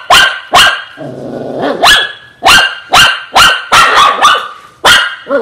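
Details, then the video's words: Shih Tzu dog barking loudly, sharp high barks repeated roughly every half second, with a brief growling stretch near the start. "Shih tzu"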